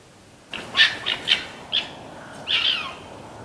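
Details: Red fox in Conifer, Colorado, heard one morning making an unusual bark: a quick run of four harsh, raspy bursts, then a longer hoarse, drawn-out call trailing off, with a quiet outdoor background.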